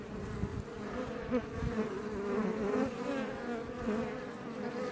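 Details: Iberian honey bees humming in front of a Langstroth beebox near Roquetes, south Tarragona, Catalonia, Spain; a continuous low, layered buzz from many insects, with single bees swelling louder as they fly close past.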